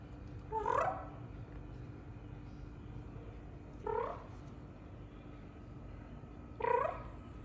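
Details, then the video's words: Domestic cat answering when talked to, using its kroo kroo language: three short rising chirping trills spaced about three seconds apart, with a steady low hum in the background. "Talking to cute cat using her kroo kroo language"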